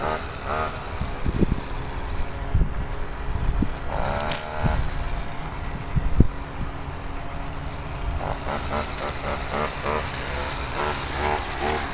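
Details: Outdoor machinery and engine noise with rumbling, scraping and a few sharp knocks, and no animal call stands out.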